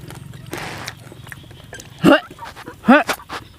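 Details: Small frogs calling in the evening while frog soup with young tamarind leaves is cooked; two loud, rich, harmonic croaks about a second apart over a low rumble and scattered clicks.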